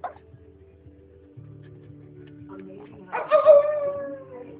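A Shih Tzu gives a brief, tonal howl that slides downward, answering a person's howling.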